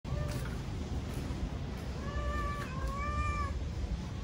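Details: Stray cat becoming tame at a Japanese family's home in Paraguay, giving several soft, tonal meows that rise then level off, the longest about a second, over a steady low hum.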